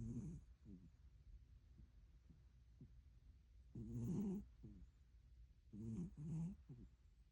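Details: Sleeping pet cat snoring indoors: rough, rasping breaths rise and fall in bursts about every two seconds, louder pulses alternating with quieter ones, in an otherwise hushed room.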